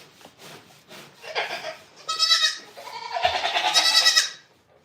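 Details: Goat at The Willful Goat Farm & Home lets out two long, loud, quavering bleats in quick succession, the second held longest before fading into quiet.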